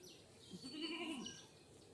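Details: Newborn goat kid, freshly born and still unable to stand properly, giving a short wavering bleat that rises then falls over about half a second, fairly quiet, with faint background noise.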